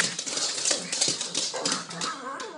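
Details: Cape Town pug Tot, a female, snorts and huffs indoors, thrilled about going for a stroll. Rapid, noisy, breathy snorts run without pause, with a faint rising whimper near the end.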